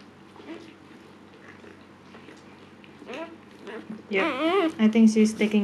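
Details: Siberian Husky Luna during her second labor, giving birth to puppies and described as calm this time; quiet murmuring voices at first, then a loud, high, wavering whine with rapid pitch swings and short repeated cries toward the end.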